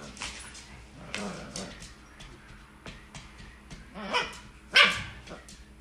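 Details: Two Corgis playing tug of war: a series of rough, broadband growling and barking bursts through the struggle, swelling to a sharp, loud yelp-like cry near the end, with faint background noise.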